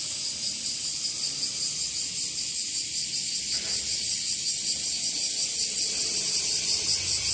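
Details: Bear cicada, known locally as washiwashi, now increasing in numbers and calling from trees and grassy areas: a loud, dense, buzzy high-pitched shrilling pulsing in a steady rhythm of nearly three beats per second, with no other clear sounds.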